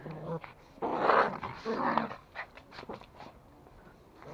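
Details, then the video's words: Toy Pomeranian playing tug with a rope at home in Kathmandu, Nepal: two rough, buzzy growl bursts around one and two seconds, then softer scattered growls and rustling, with faint human speech nearby. "Pomeranian playing with rope"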